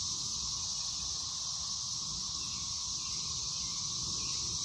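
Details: 13-year Brood XIX periodical cicadas in Waxhaw, North Carolina, on 4 May 2024 fill the air with a steady, high, hissing chorus that never pauses.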